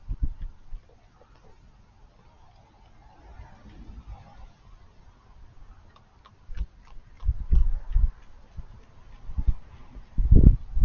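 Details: Raccoon eating, with sparse low crunching and chewing bursts, quiet between them, growing denser and louder toward the end with soft clicky bites.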